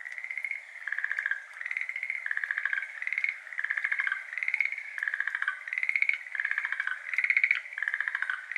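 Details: Schlegel's green tree frogs, endemic to Japan, give rapid, pulsed rattling trills in overlapping bursts at 6:53 pm on 17 May 2022. Water drips into a flooded iris garden, heard alone when the frogs fall silent.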